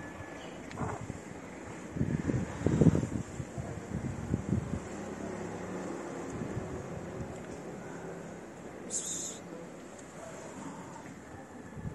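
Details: Wind buffets the microphone over a low street rumble, with a brief burst of voices and handling noise early on and no animal calls.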